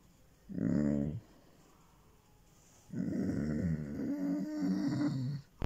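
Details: A Basset Hound gives low, throaty groans and rumbling moans of pleasure while being petted, gradually powering down and winding down toward the end.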